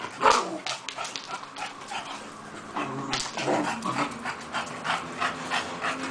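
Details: Female English Bulldog giving short, harsh vocal bursts in quick, irregular succession. The first burst is the loudest, and a steady hiss runs underneath.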